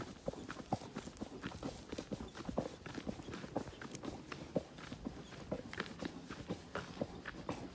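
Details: Horse carrying a rider through natural surroundings, quieter hoof strikes falling at a loose walking rhythm over a hissy, rustling background; no neighs or speech.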